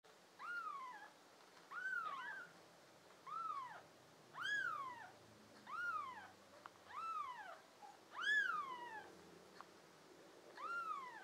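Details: Young American Shorthair and tabby kittens, five in the litter with blue eyes, filmed as pets in June 2022, give high arching meows, rising then falling, repeated every second or two, with some overlapping calls over a quiet background.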